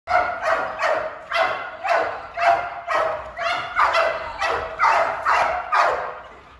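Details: Malinois barking during bark training in a breeding program: a steady run of about a dozen sharp, evenly spaced barks, roughly two per second, with faint music underneath.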